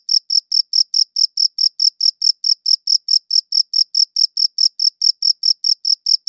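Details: Crisp, high-pitched cricket chirps repeat at a regular quick pace, near four pulses a second, each pulse short and clean against total quiet.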